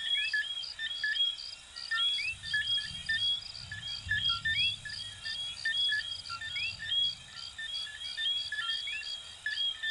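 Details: Dense chorus of little coquí frogs, Venezuela and Puerto Rico: numerous quick rising whistled chirps scattered throughout, beneath a persistent shrill pulsed trill, with a soft low rumble in the middle section.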